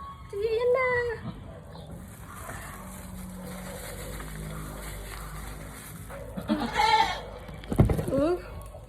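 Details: Doe goat Susi just after a hard delivery, her newborn kid freshly pulled out. A quavering bleat opens the passage and shorter calls follow near the end. Excited human talk runs alongside.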